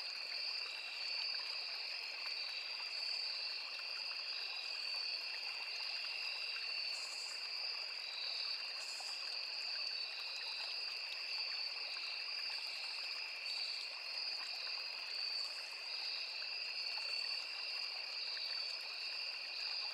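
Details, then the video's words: Crickets with cicadas and other insects in a forest beside a small river: a steady, high, shrill trilling chorus in two layered bands, the upper band pulsing, with faint brief higher buzzes every few seconds over a constant rush of flowing water. "Sound of Forest and Small River | Crickets, Cicadas, Insects"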